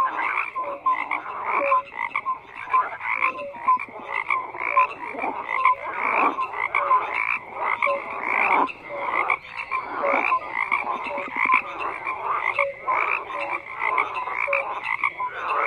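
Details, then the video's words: A long stretch of croaking frogs, many voices overlapping in grating, pulsed bursts that swell and fade every one to two seconds, with scattered brief tonal chirps above the din. "FROGS CROAKING"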